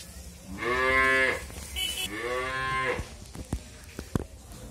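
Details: Pregnant Friesian dairy cow in Bangladesh, nine months in calf and due to calve for the second time: two long, nasal moos in succession, the second slightly lower, followed by scattered clicks and knocks.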